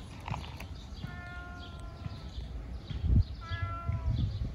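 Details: Ginger fat cat wanting food, producing two drawn-out, flat, nasal meows roughly two seconds apart, the second shorter, over a steady low-frequency hum and occasional bumps.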